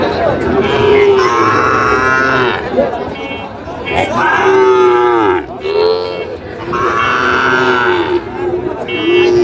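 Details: Sahiwal cattle at a livestock market where a farmer from Barisal, Bangladesh, buys a Sahiwal bull, 21 July 2025; drawn-out, steady, low moos rise and fade several times beneath loud men's voices haggling over prices.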